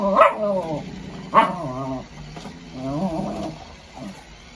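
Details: Lucky, a dog playing football with powerful dribbling, gives drawn-out whining growls with wavering tone, two sharp rising onsets about a second apart then a longer wavering moan, a woman's voice talking nearby.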